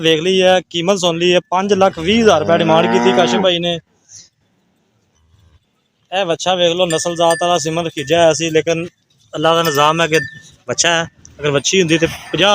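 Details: Friesian milking cow, a top-quality animal for sale in Punjab, Pakistan, gives a drawn-out, wavering harmonic moo lasting about two seconds early on, with human voices talking before and after.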